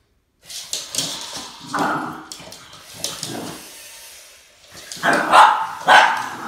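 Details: Boston Terrier facing off against a snake, barking and yipping in a continuous excited run, with the loudest sharp barks coming near the end.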